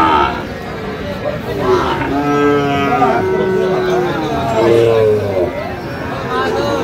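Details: Sahiwal breed bull calf at a cattle market in Sirajganj, Bangladesh, on 5 August 2025; several long, wavering lowing calls rise and fall amid busy market talk and bustle.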